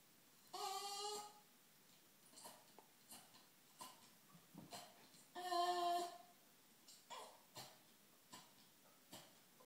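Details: A 7-year-old female English Staffordshire Bull Terrier gives two drawn-out, tonal whines, with small soft sounds between them.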